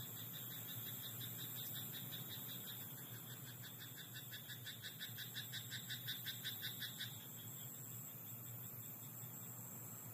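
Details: Rice paddy frog calling after dark: a long, rhythmic chain of short croaking pulses, about two to three per second, lasting roughly six seconds before it cuts off, against a continuous low hum.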